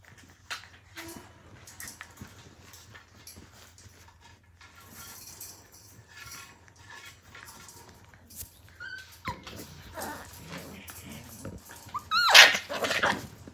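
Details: Australian Cattle Dog (Blue Heeler) puppies from the 2020 Willow and Tory litter at play indoors. Quiet scuffling and patter lead into brief high whines and sharp yips near the end, peaking in one loud squeal.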